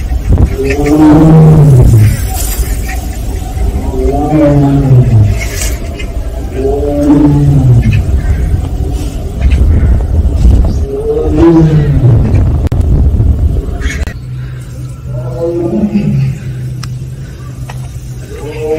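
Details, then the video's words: Siberian tiger, also called Korean tiger, of Penja's family at Seoul Grand Park, giving 'aung' calls: five drawn-out, harmonic moaning calls, each rising then falling, about every three seconds, over a low steady hum. "펜자네 가족 아웅 총 모음. 아웅~~~~"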